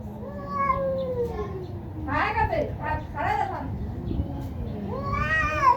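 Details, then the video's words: Cats fighting fiercely in a Bangladeshi village, one named Minu: moaning harmonic yowls open and close the stretch, while a woman's scolding voice breaks in between with rapid speech. "বিড়ালের ভয়ংকর ঝগড়া"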